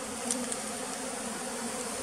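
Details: Pearl's bee at a beekeeping site in West Tonle Sap Lake's flooded forest, Cambodia; unbroken droning buzz at steady loudness, a brief soft tick early on.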